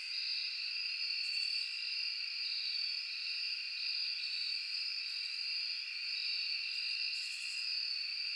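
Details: A dense night chorus of crickets, cicadas and other insects in a forest trills steadily, high-pitched and unbroken.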